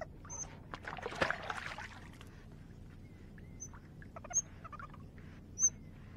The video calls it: 你有聽過水獺的叫聲嗎? How does the Eurasian Otter sounds like?